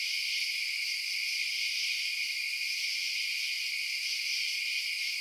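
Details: Chirping crickets at night, heard as a continuous bright, high shimmering drone of many overlapping callers, steady from start to end with no other noises.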